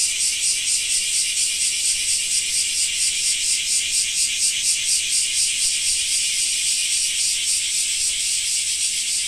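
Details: Cicada song during summer rain in Japan: a harsh, high rattling buzz that throbs steadily about twice per second throughout, strong and unbroken.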